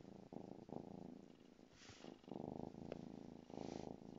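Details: A 2-month-old female Savannah kitten playing with her toy mouse purrs continuously, a low vibrating rumble swelling and fading with each breath, with brief rustling and tapping between breaths.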